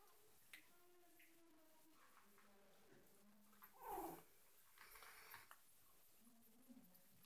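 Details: Yorkshire Terrier puppies giving soft, thin whines, drawn-out tonal notes that rise and fall, with a louder breathy burst near the middle and some rustling in a quiet background.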